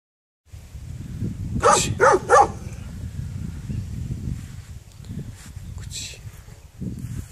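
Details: Dog barking: a quick burst of three sharp barks near the two-second mark, then faint scattered sounds over a low rumbling background.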